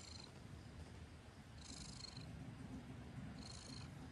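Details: Domestic cat purring: a steady low rumble pulsing continuously throughout, with faint high breathy swishes recurring about every two seconds.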